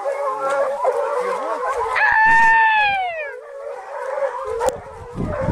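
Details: American Foxhounds running after deer during a hunt at Canela Seca: a steady baying chorus of several hounds, crowned around the second second by one loud, long howl that slowly falls in pitch, then the pack continues.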